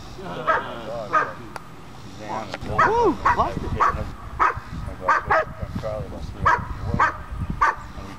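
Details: Puppy named Ellie during bitework training, giving short sharp barks repeated roughly every half second to one second, with a trainer's encouraging voice heard in between.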